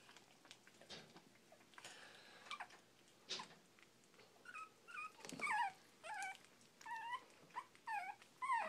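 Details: Four-week-old Shih Tzu puppies eating and being playful indoors; scattered clicks and rustles give way midway to a run of high, wavering whimpers and yelps, each bending up and down in pitch, arriving in short bursts about every half second.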